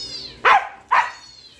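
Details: Siberian Husky reacting to dog sounds with two short, sharp barks about half a second apart, fading into a faint high whine in a small room.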